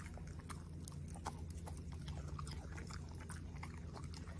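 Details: Corgi dog eating steak, broccoli and blueberries, close-up ASMR recording: soft irregular crunching and wet chewing clicks scattered throughout, over a low steady hum.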